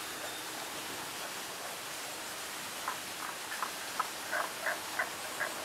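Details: Tago's brown frog calling: a run of about eight short, knocking croaks repeated roughly twice a second over three seconds, growing slightly louder, set against steady rushing water.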